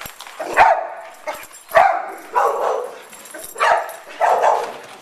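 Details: Big dogs romping and playing at an indoor dog day care with a park, including a Great Dane, Rottweiler/Labrador mix and Boxer; five loud, hoarse barks come about one per second, some doubled, in a reverberant room.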